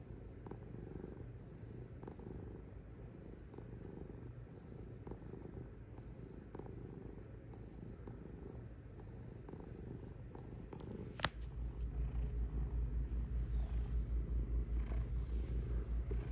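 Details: Cat purring steadily in a low pulsing rumble, about two and a half pulses per second, quiet at first and then much louder and closer after a sharp click midway.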